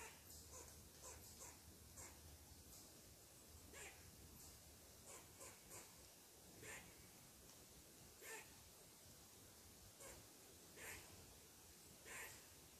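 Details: ['Angry squirrel barking at a person sitting in its tree, a long series of brief dry chucks, some paired, recurring every half second to a second, quiet background hiss.']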